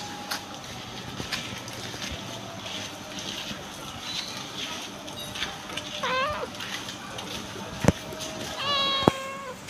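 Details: Calico cat making two short, melodious meows with a wavering, bending pitch, the second clearer and steadier, among light taps and clicks and a faint background hum.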